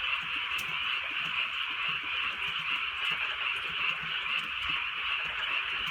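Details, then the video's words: Frogs calling on a drizzly night in the countryside: a dense, steady chorus of high, rapid trilling croaks that never pauses, with soft rain patter and faint scattered ticks underneath. "개구리 소리"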